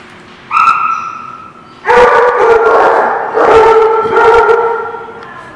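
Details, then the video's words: Dogs at a kennel lot; a long tonal howl-like bay, then loud sustained overlapping barks and howls from several dogs filling the rest of the clip. "The Barking Lot"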